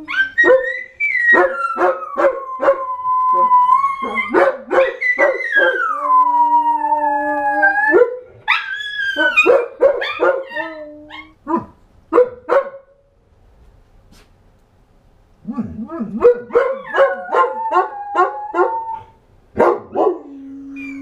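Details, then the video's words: Dogs howl in overlapping, wavering voices mixed with quick barks and yips, fading to near silence midway before another burst of barking and a final held howl. "My crazy howling dogs..."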